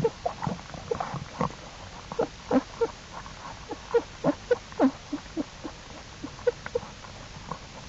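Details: Jewel's black bear cubs following their mother out of the den on April 2, 2012, calling steadily: brief mid-pitched squeaks and yelps, about two or three per second, some with a falling tone, over soft background rustle.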